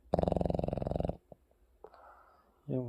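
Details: Maltese named Maru, a 7 kg dog, sleeping in the bedroom at home alongside a Boston terrier; a rapid rattling snore pulses for about a second, followed by quieter breathy sounds and a brief snort.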